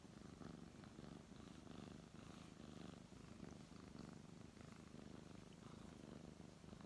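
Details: Brown tabby cat purring contentedly under stroking hands; deep, continuous vibrating rumble with rhythmic swells from in and out breaths, light rustling of fur.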